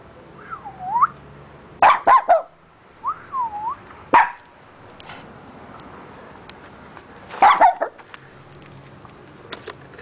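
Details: Sneezes from a neighbour's dog burst out as abrupt, noisy snorts, some doubled or tripled in fast succession, with quiet gaps between. Whistled notes that slide down and back up sound in between.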